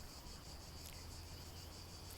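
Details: Cicadas sing a steady, high, shimmering buzz that pulses faintly without pause, heard late on a sunny afternoon at a campsite overlooking a lake near Moustiers-Sainte-Marie on a summer holiday.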